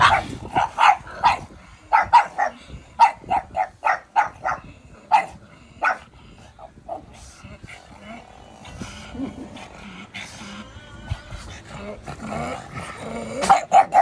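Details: Pug puppies meeting up; sharp, short yapping barks fire in rapid runs through the first six seconds, give way to quieter scuffling and low grumbles, then a fresh burst of yaps at the end.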